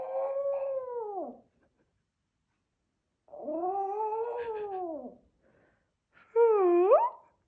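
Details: Male white Pomeranian born 2016, confused by its owner making dog noises. It gives two long, arching howls of about a second each with a pause between, then a short howl that dips and rises sharply; no other sounds.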